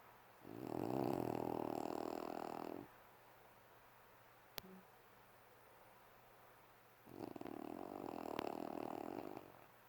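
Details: A sleeping puppy snores: two long, rough, breathy snores of about two and a half seconds each, roughly five seconds apart, with near silence and a single click between them.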